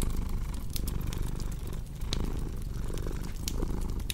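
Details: Low cat purr running steadily underneath, with fireplace crackles and pops more prominent and frequent over the rumbling drone.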